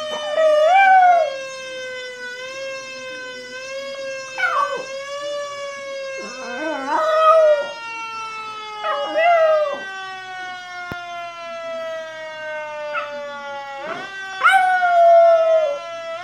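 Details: Female Chihuahua imitating a passing fire truck siren: a long, slowly falling siren tone runs throughout, overlaid by wavering, yelping howls in short bursts every few seconds.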